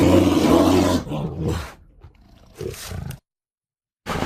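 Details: A captive black bear at a mini zoo in Pahalgam gives a deep, rough, rumbling roar, followed by shorter, softer grunts.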